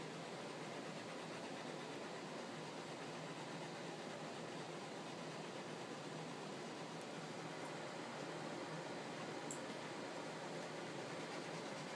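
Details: Steady broadband hiss like a fan or passing vehicle, with no animal sound.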